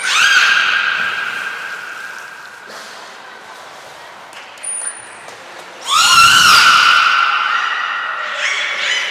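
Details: Belugas Mirai and Nico in a training session at Port of Nagoya Public Aquarium, 20 February 2021: long steady harmonic whistle-like calls, a short high trainer's whistle, then a loud upswept harmonic call that holds and wavers.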